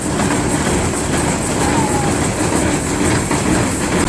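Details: Loud, steady rumbling machine noise fills the whole stretch, like a vehicle or train running close by.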